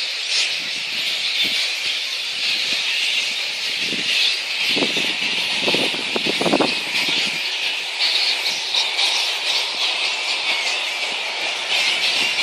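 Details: At Boonah, Queensland, Australia, flying-foxes fill the air on 02/01/2014 with a steady chorus of high squeals and screeches, with a cluster of louder, lower crackling bursts around the middle.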